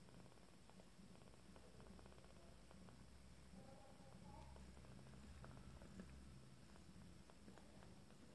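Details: Purring from a first litter of 14-day-old Abyssinian kittens feeding together with their family: a steady, low, continuous rumble throughout, with faint brief higher tonal sounds in the middle.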